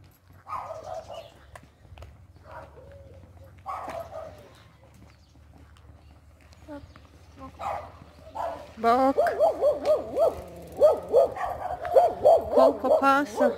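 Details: Siberian Husky puppy, almost six months old, on an ordinary walk. A person talks at first, then from about nine seconds the dog breaks into a loud, rapid run of wavering, yodel-like howls that slide up and down in pitch.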